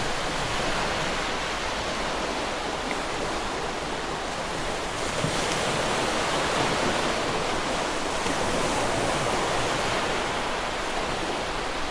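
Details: Steady roar of surf and wind fills the recording, with no animal voices standing out.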